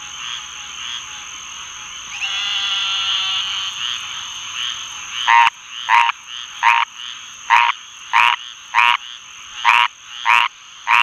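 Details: A squirrel treefrog (Hyla squirrella) sings harsh, raspy, duck-like notes repeated in quick succession, with Eastern Narrowmouth Toads and Green Treefrogs calling in the background.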